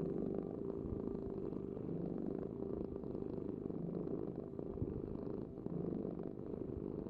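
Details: A cat purring: a continuous low rumbling vibration, steady and unbroken throughout, with no other sounds.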